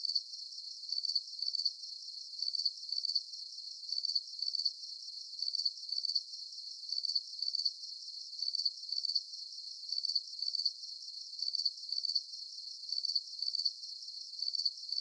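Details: Crickets on a full-moon night, producing high, ringing pulsed chirps in a very regular rhythm of about one burst per second, with no other sounds.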